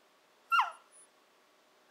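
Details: A young female Shiba Inu, Nanako, 14 to 15 weeks old, 'talking' to her family indoors, a habit tied to wanting her breakfast or dinner: one short, high squeal that quickly slides downward, otherwise a quiet room.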